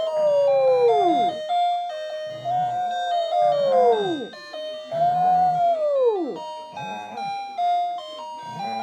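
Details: Pomeranian dog at home howling along to an alarm clock's electronic melody: long wavering howls that rise slightly then fall away, about one every two seconds, with the beeping tune continuing beneath.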